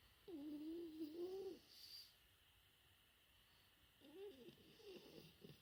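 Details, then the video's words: French Bulldog puppy aged four months snoring: a long wavering whistled snore, a pause of quiet, then a second buzzier, choppier snore. "生後4ヶ月！子犬のいびき フレンチブルドッグ"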